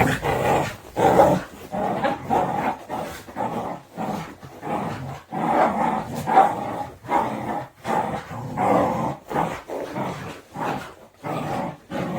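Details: Two Border Collies growl in rough, rumbling bursts while playing tug of war; the growling is playful, not aggressive.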